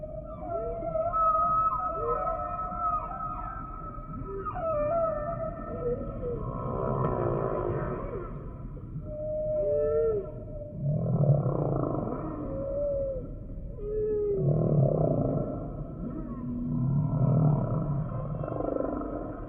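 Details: Humpback whale song sample mixing deep groaning moans with higher whistled upsweeps and short arching cries, units strung in a varied sequence, some wavering and buzzy, spaced two to three seconds apart.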